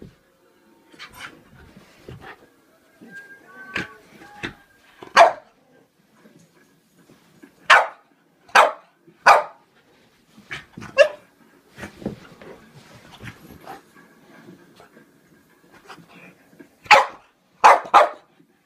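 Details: Scared of a toy clown, Pluto the French Bulldog lets out scattered sharp barks, some in quick pairs and triplets, mixed with softer whimpering noises over a faint background hum.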